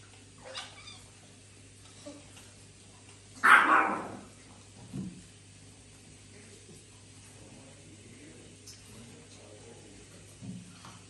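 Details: Domestic cat in a house shared with exotic animals, eating fresh meat with other cats; one loud, short, harsh cry rises and falls in the middle, with faint clicks and chewing-like noises around it and a steady low hum throughout.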